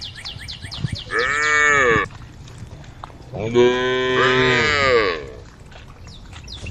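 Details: Cows roaming a road in a herd, calling the herd: two drawn-out moos, the first under a second and the second about one and a half seconds, arching up then down, with faint high chirps in the background.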